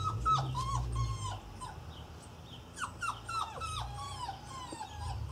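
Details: Six Irish Terrier puppies, nearly eight weeks old, at Easter with a giant Easter egg and a stolen carrot; thin, high whimpers and yips slide downward in quick overlapping bursts, several per second, over a low steady hum.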